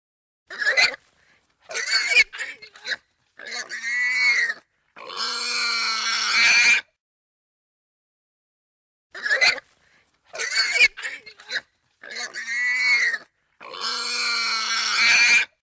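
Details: Squealing Russian boar: the same sequence occurs twice, with about three seconds of silence between. Each begins with short clipped squeaks and builds into longer, harsh, harmonic squeals of one to two seconds.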